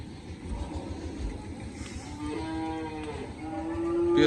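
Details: Cattle being loaded and taken away from the farm after sale; one long, drawn-out moo with rich harmonics, then a second call rising toward the end, over a rumbling engine and vehicle background.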